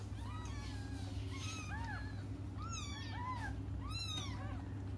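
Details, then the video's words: Several young cats crying while waiting for their mother: overlapping high, arched meows, some squeaky and wavering, come in quick succession over a steady low hum. "until their mom comes just stop crying"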